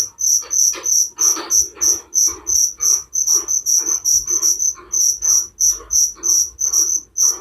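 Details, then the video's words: Cricket chirps presented as soothing bedtime sound: sharp, high, evenly spaced pulses roughly three each second, accompanied by fainter lower scratchy pulses throughout. "Suara Jangkrik penghantar tidur || Relaxing sound of crickers"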